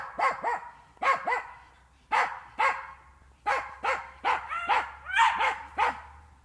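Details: Jagdterrier training on wild boar inside a park; barks in pairs and clusters with falling, yelping tails, rising into higher-pitched excited yips toward the end, a low hum throughout.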